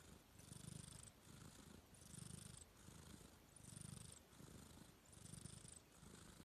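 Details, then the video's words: Domestic cat asleep and snoring, a soft low rumble on each breath alternating with a breathy high hiss, about one full cycle every 1.5 seconds, even and unhurried, with no other sounds. "KUCING NGOROK LUCU (Funny Cat Snoring)"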